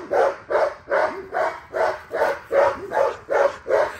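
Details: XL American Bully barking while being exercised: a steady run of eight deep, even barks, roughly two or three each second, each bark a short broad burst, with no other clear sounds.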